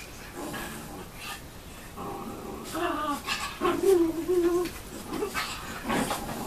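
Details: Schnoodle, a Poodle and Schnauzer cross, indoors among sibling dogs: short, high tonal whimpers and whines in the middle seconds, with soft growly noises and a person talking gently in the background.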